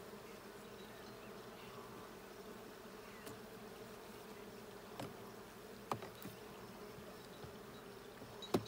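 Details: Honey bee colony humming continuously during a hive check on 20 June 2022, an even low drone with scattered faint clicks and a sharp knock near the end.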